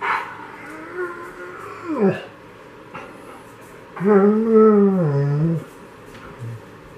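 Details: Six-week-old female White German Shepherd puppies, Aurora and Donner, at playtime: a long harmonic whine bending down at two seconds, short yips, then a louder wavering whimper-growl lasting over a second, with soft background rustling.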